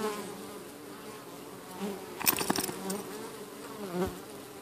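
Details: Bees at a busy hive entrance pushing away an intruding beetle; continuous low buzzing drone, with a brief burst of clicks and scraping near the middle.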